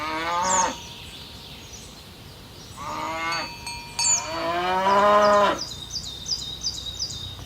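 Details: Tame cows being herded toward their pen along village roads in the morning moo in long, harmonic-rich lowing calls, with cowbells clinking in the background.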